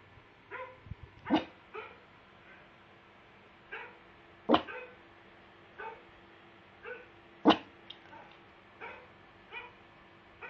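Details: A pug reacts to dog barking with a few sharp, loud barks between softer, tonal yips and whines.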